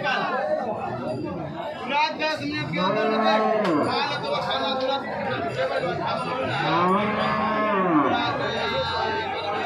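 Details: Cows at the weekly Jarua cattle market near Hajipur, Bihar, India, after days of rain; several deep, drawn-out moos with rising-then-falling arches, overlapping one another, amid crowd chatter.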